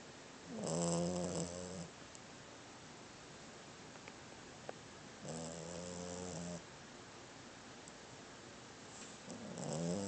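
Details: Sleeping female dog with tiny teeth, young in body but described as an old lady, snoring steadily indoors: three drawn-out low, harmonic rasping breaths about four seconds apart over a faint background hiss.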